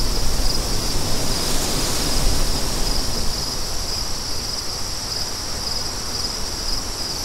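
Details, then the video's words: Crickets chirp in regular high pulses roughly every half second while a gust of wind surges early on, then eases to a steadier rush. "Crickets & Wind For DEEP SLEEP"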